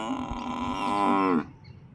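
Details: Male water buffalo, angered after another buffalo arrived from outside and was brought in during the evening, gives one drawn-out, richly harmonic moaning bellow lasting over a second, steady then bending slightly downward before stopping abruptly, followed by quiet.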